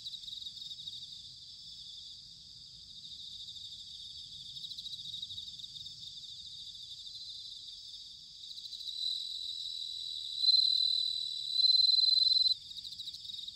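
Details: Bell cricket song in autumn, recorded in Sanuki, Chiba, Japan: a long stretch of soft, high, continuous insect trilling, then near the end two or three loud, clear ringing bursts about a second long.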